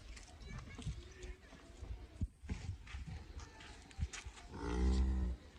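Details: A Cholistani-Friesian cross cow, offered for sale, gives one loud, low, drawn-out moo with a steady layered tone near the end, after a stretch of people talking and scattered knocks and thuds.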